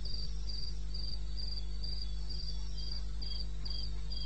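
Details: Cricket at night in the wilderness of eastern Botswana, 02:30 on 21 May 16, giving high chirps about three per second, slightly uneven, with a low steady hum underneath.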